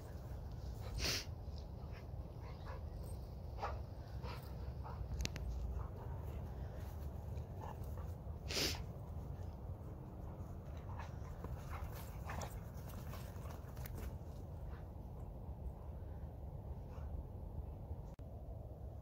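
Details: Two dogs in rough play in a field in Colorado: Nala, a Rhodesian Ridgeback over three years old, and Nuke, a one-year-old Anatolian Shepherd boxer mix. Brief whimpers and short bursts over steady low rumble and scuffling.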